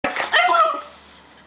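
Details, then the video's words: A French Bulldog puppy, barking on command, gives a single short, high-pitched bark with a raspy, yelping edge. "French Bulldog puppy barks"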